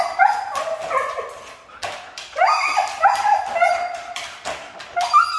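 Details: Siberian Husky, noted as difficult to train, letting out long sliding whine-howls, a pause, then another burst of warbling cries that rise and fall.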